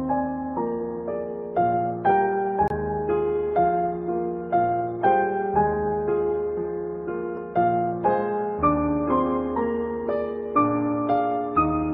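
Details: Gentle piano melody with evenly spaced notes, roughly two per second, and no animal sound.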